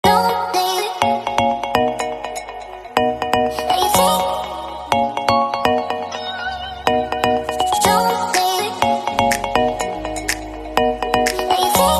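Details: Cheerful chiming electronic melody with bell-like notes and light percussion plays continuously, and no animal is audible.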